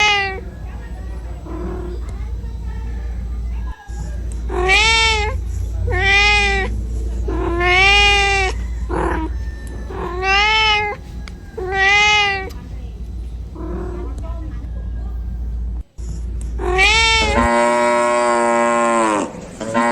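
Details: Cat meowing while looking for its mother: about seven loud, drawn-out, slightly arched meows repeated every second or so, followed by a brief harsher, denser cry near the end, over a steady low hum.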